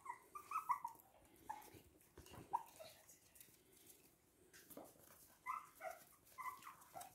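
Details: Toy and miniature poodles recorded indoors in Hahnstätten on 19 February 2022, giving thin, high whimpers in short bursts, several wavering whines early, then quieter gaps with soft shuffling before a new cluster of whimpers near the end.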